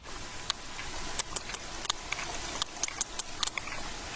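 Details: A sperm whale recorded underwater off Ibiza in the western Balearics, Spain, produces crisp, dry clicks, some isolated and some in quick clusters, over a steady undersea hiss; click patterns reportedly differ between populations like regional accents.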